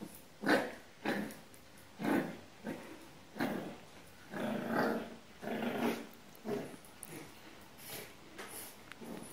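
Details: Puppy contesting a cat for its bed makes a run of short, rough growls and yappy bursts roughly every second, some louder than others, inside a small room.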